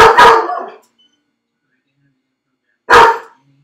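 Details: Dog named Felix, left alone in a dog crate on a second try at being left home, lets out two loud harsh barks about three seconds apart with silence between.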